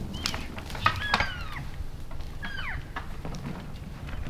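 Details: Elk bulls sparring and playing in late January after the rut in Canada's Rockies, vocalizing during the workout: several short, high squealing whistles that slide downward in pitch, heard in two bursts over a low rumbling background.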